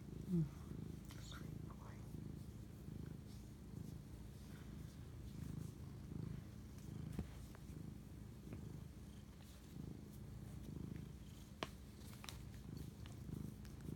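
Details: Late-night purring from a house cat bonding with its owner, 11:07 pm on March 25, 2019: a continuous deep rumble rising and falling with breathing, with scattered faint ticks and rustles.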